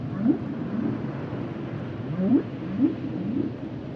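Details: Humpback whale song: short low upswept moans, repeated about twice a second in an uneven rhythm over a steady rumbling sea background.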